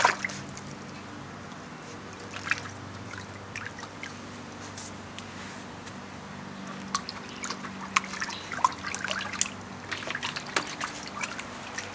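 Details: Trickling and splashing water with drips over a steady low hum; no animal voice heard.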